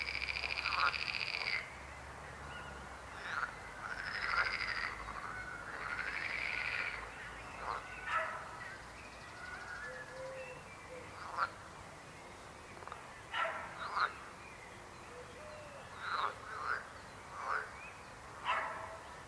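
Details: Frogs: a few rattling trills at the start, then a sparser series of short, sharp croaks spaced one to two seconds apart, with a faint lower murmur in the background.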